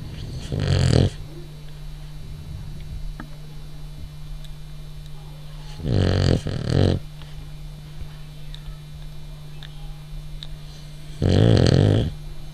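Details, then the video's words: Male French bulldog snoring in his sleep while dreaming: three loud, grating snores, each about a second long, spaced several seconds apart, with a constant low hum between them. "Cute Dog Snoring - French Bulldog"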